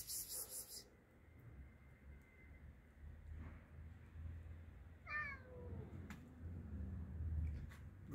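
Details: Domestic cats fed dinner outdoors in a garden in cold weather, several cats jostling over food; one clear, drawn-out meow falls in pitch, preceded by a brief higher cry, over a steady low rumble and a woman's voice.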